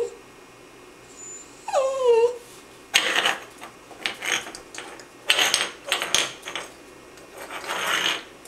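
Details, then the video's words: Female puppy making funny noises: one short whine sliding downward with harmonics, followed by bursts of broadband snuffling and rustling. "funny puppy noises"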